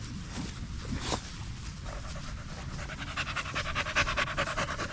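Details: Evening at the park with a group of male dogs: a Staffordshire Bull Terrier pants in quick, regular huffs, about two or three breaths a second, growing louder and more rhythmic toward the end.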